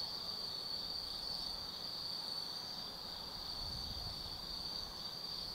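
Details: Insects of the Tsukimi no Mori woods, Gifu, Japan, singing on an autumn night: a loud unbroken high-pitched trill with occasional faint upper chirps, and a low distant rumble in the background.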